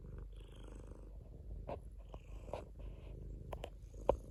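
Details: A domestic cat purrs steadily, a soft low vibrating drone of quick pulses, broken by a few sharp clicks and small rustling noises near the end.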